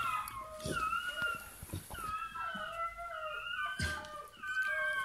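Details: Freshly born Bernese Mountain Dog puppy indoors: steady thin whining cries, level then slightly falling, repeated in a run of five or six, with occasional thumps and rustling from handling.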